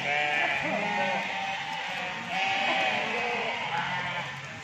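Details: Goats among 1011 goats and 10 cattle gathered as Qurban sacrificial animals at an Islamic boarding school in Ngroto, Indonesia; wavering, nasal bleats overlap almost continuously, several animals calling at once over a crowded background murmur.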